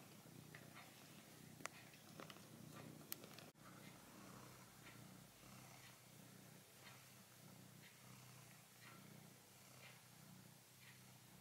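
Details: Soft, steady purr from Tiger, a red pet cat kneading his plush mammoth, a low continuous hum with occasional light rustles and one sharp click near the start.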